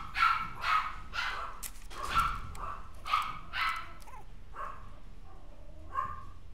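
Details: Maltipoo turning a little rowdy, letting out a burst of five or six sharp yaps that get quieter and more spaced out, ending in two faint, softer barks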